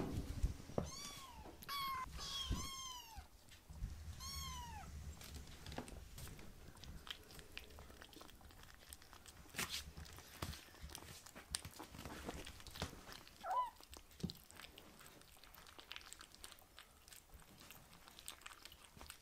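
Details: Two rescued foster kittens, Ashiro and Akuro, meow at a man's feet begging for food as a meal is prepared indoors; several high, arching meows in the first five seconds, then a single faint mew near thirteen seconds amid clicks and room noise.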